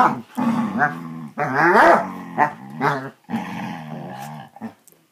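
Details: Basset Hounds growling while playing: loud, drawn-out, rough harmonic growls rising and falling in pitch, coming in four bursts across five seconds with short quiet gaps between them.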